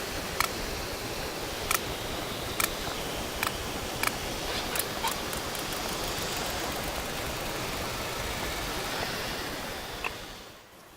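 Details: Sperm whale heard live through a hydrophone in the Mediterranean while it has found a cuttlefish and is eating it; sharp broadband clicks repeat irregularly, roughly every second, over steady sea hiss.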